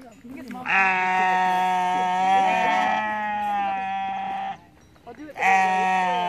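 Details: {'caption': 'A sheep on a mountaintop in Innsbruck, Austria, lets out one sustained, strained scream lasting about four seconds. After a brief quiet gap a second loud cry begins. A man speaks faintly at the start.'}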